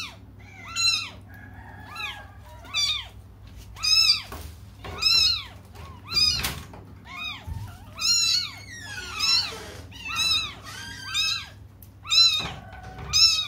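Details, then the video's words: Several young cats cry together until their mother returns, indoors. Insistent, overlapping high meows rise and fall in roughly one-second bursts, with a few soft thumps and a constant low hum. "until their mom comes just stop crying 😭"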